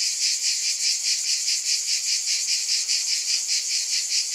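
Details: Cicadas buzzing in a thick, high-pitched wall of sound, swelling and fading slightly in fast regular waves, no other noises present.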